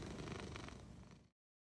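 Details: Egyptian Mau cat giving a brief low rumbling purr that lasts about a second before cutting off into silence.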